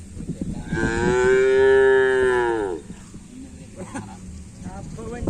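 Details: Bull race cattle training for karapan sapi at the Asemanis field in Pamekasan give a single drawn-out, level moo lasting about two seconds, followed by faint voices and background noise.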